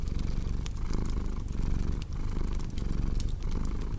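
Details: Brief stretch of rumbling cat purr, rhythmically pulsing with inhale and exhale and dipping briefly near the middle, mixed with sharp crackling from a fireplace.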